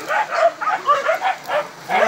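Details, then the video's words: Village dog fighting a wild boar: a quick run of short, mid-pitched, harmonic barks and yelps, coming roughly every half second, each clipped and rough-edged, with no other clear sounds around them. "Pertarungan anjing kampung vs babi hutan"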